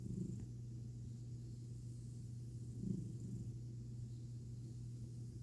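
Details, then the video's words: Pet cat purring during a belly rub, a deep, even rumble that holds steady, with one slightly louder breathy swell near the third second. "Tummy Time With A Sappy Cat And Some Snoring"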